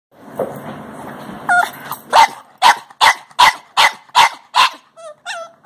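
A Boston Terrier gives a quick run of sharp, evenly spaced barks after a few whiny yips.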